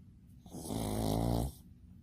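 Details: Sleeping pet dog Bbomi lets out a single long, low, rattling snore of about one second, vibrating with a buzzy throaty quality, then quiet room noise.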